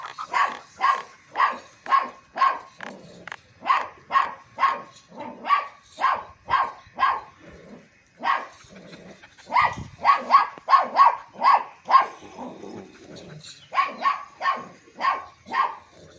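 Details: Long-coated German Shepherd dog at Joyia goat farm in Bahawalpur giving steady, evenly spaced barks about twice per second, with a brief pause midway before the barking resumes in a tighter run.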